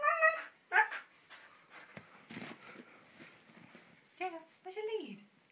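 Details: A 15-month-old Siberian Husky, excited and wanting to go out for a walk, talks in short, yodelling yowls that bend up and down in pitch.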